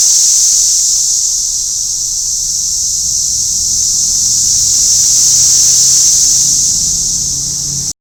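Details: A dense chorus of Brood X periodical cicadas in Lower Price Hill on June 8, 2021 makes a steady, high, hissing drone without pause.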